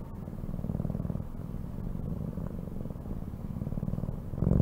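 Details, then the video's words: Domestic cat purring steadily: a low, rapid, rumbling vibration held throughout with gentle swells in loudness and a brief louder lift at the very end. "CAT SOUNDS"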